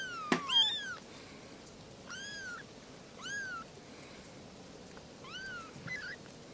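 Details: Kittens meowing for attention while playing near their mothers: four or five separate high, curved mews spaced about a second apart, opening with a sharp click, over a soft background hiss.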